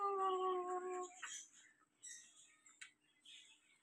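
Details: Mother dog, jealous while her puppies are being patted, gives a steady tonal whine lasting about a second, then falls quiet amid soft rustling and faint indoor noises.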